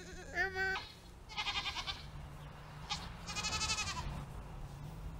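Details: Two Nigerian Dwarf goat does, kept over the summer, bleat repeatedly in quavering, nasal, trembling, pulsed brays: a short higher bleat opens, then longer vibrating calls over a low background hum.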